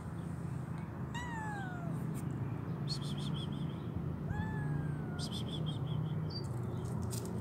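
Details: Hungry stray kitten, poor and homeless, with both legs amputated and troubled eyes, gives two descending, drawn-out meows about three seconds apart, with bird chirps and a steady low hum behind.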